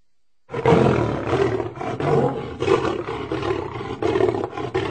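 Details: Lion in a continuous rough, guttural roar lasting over four seconds, pulsing and throaty with a strong low rumble and fluctuating loudness.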